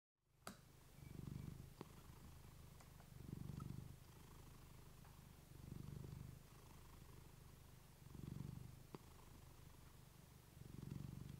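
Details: Female pet cat purring close to a fluffy microphone, meant to relax listeners to sleep; a steady low rumbling buzz swells and fades in long breaths about every two and a half seconds, with a few faint clicks in a quiet room.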